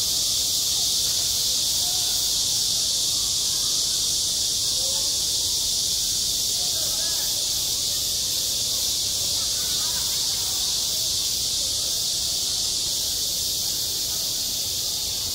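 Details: Midsummer cicada chorus over a school playground: a loud, continuous high electric buzz with a faint rapid pulsing at its top edge, steady from start to finish, over soft low background murmur.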